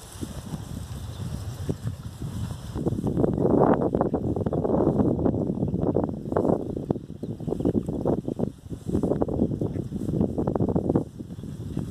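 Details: Blustery wind buffets the microphone on a morning walk, with rustling and crunching movement throughout and no animal voice heard.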